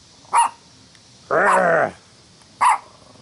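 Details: Party in Wilmette, Illinois, July 25, 2015, where a dog barks at "The Devil Ant": two clipped barks separated by a longer, drawn-out vocal sound lasting over half a second.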